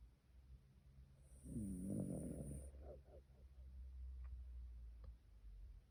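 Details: Sleeping Shiba Inu, tired out, lets out one deep, throaty snore of about a second, followed by softer breathy rasps and a near-silent room.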